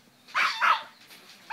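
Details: Small male French Bulldog-Pug cross puppy, nine weeks old, inside a pillow slip indoors, lets out two quick, sharp, high-pitched barks in close succession, clear and loud over a quiet room.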